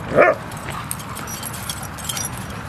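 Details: One sharp, loud bark from a dog at play in Seal Point Dog Park, western San Francisco Bay, on February 10, 2015, followed by quiet park ambience.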